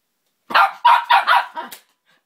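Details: A female dog that hates a measuring tape lets out a fast burst of four or five rough barks in just over a second, ending with a short higher yelp, with no other sounds.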